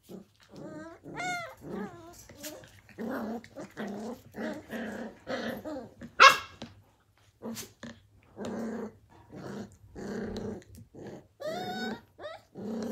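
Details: Australian Cattle Dog (blue heeler) puppies playing at Tin Roof ACDs in 2020: short rough growls alternate with high, rising yelps and squeaky whines, in scattered bursts with brief pauses between.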